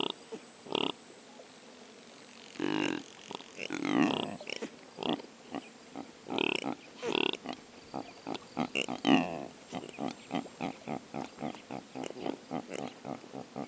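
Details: Wild impalas in sub-Saharan African woodland savannah, captured unattended by a drop rig on a Sony PCM A10: a series of short, harsh, broadband snorting grunts. The bursts come irregularly, then speed into a rapid run of clipped pulses.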